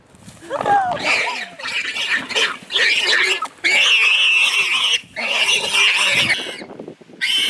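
A wild boar gives loud, harsh squeals in long rasping bursts that come one after another.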